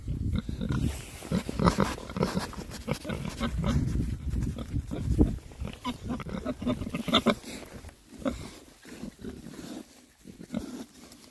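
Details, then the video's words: Rare-breed Oxford Sandy and Black pigs, six boys, on a winter forage between storms; steady low grunting and snuffling oinks with rooting and crunching sounds, busiest in the first half. "rare breed Oxford Sandy and Black, happy pigs, winter forage. 6 boys. ASMR oinks."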